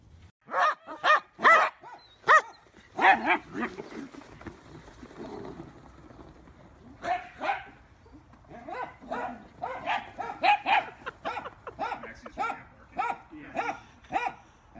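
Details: Playful miniature dachshund letting out bursts of high yapping barks, a loud rapid cluster at the start, then quieter, looser barks and yips spread through the rest.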